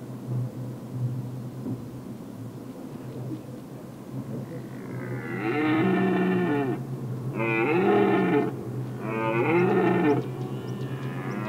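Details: Red deer at Weerterbos, filmed from the lookout tower on 27 September 2013 between 19:00 and 19:30, rutting prelude: three drawn-out harmonic roars, each about a second long, following a quieter stretch with a steady low hum underneath.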